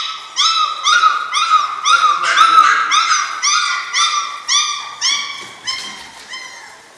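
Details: A German Shorthaired Pointer puppy from the Sevens litter, aged six weeks, gives a clear run of about a dozen ringing high yelps, roughly two per second, each bright and harmonic, fading slightly toward the end.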